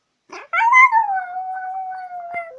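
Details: Toy terrier howling along to the song 'V lesu rodilas yolochka': a brief yelp, then a long tonal howl that lifts slightly, glides down and holds a steady pitch. A short click comes near the end. No other sounds are heard.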